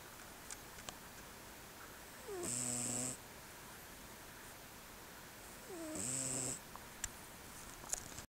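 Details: Two long, raspy snores from Regan, a male Selkirk Rex cat dozing in a dark room, filmed May 2016; each breath starts with a short dipping squeak, then a steady buzzing rasp, about three and a half seconds apart.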